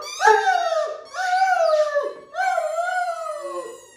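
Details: Harlequin Great Dane, a happy male, indoors in his daily happy howling session: three long wavering howls, each about a second, sliding slightly up then down, a brief gap between, rich in overtones.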